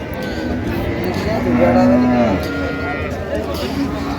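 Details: Dairy cow with calf at the Raniganj cattle market (হাট), Dinajpur, on 27 November 2025; one drawn-out, steady low moo rises out of the din mid-clip, while traders' voices haggle over prices all around.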